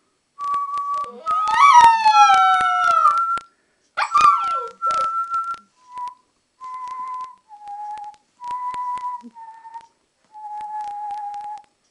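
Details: A two-month-old Alaskan Malamute puppy, playing, gives high, thin howls and whines, some wavering and some held steady.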